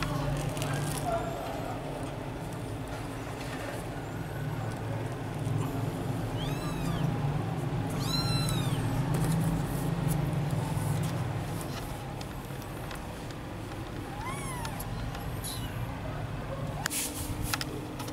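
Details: Domestic cat playing with vegetables at home gives a few short, arched meows that rise then fall, clustered around the middle of the clip with another near the end, over a steady low rumbling background and faint speech.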